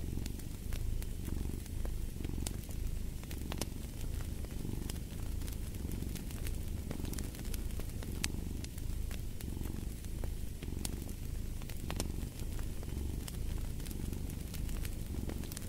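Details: Domestic cat purring beside a crackling fireplace: a steady low rumble swelling and fading in breathing cycles about every second, overlaid with sharp pops and snaps from burning wood.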